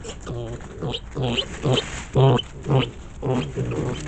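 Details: Wild boar piglets running back and forth and chasing each other, squeaking happily. A rapid series of short nasal grunting squeals comes about twice per second, each rich in harmonics and varying in loudness.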